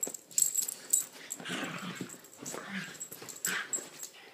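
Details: Lilah, a blonde Chiweenie, and Minnie, a Rat Terrier–Chihuahua mix, romp together in a small room. Breathy, wheezing play grunts and low rumbling growls rise and fall amid rustling and scrabbling paws.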